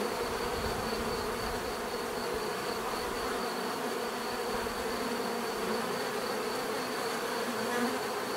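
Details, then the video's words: Bees buzzing in a dense, continuous drone with layered hum bands in the low-mid range, steady throughout with no pauses; a faint thin high tone runs across the background. "bees therapy relaxing natural buzzing sound"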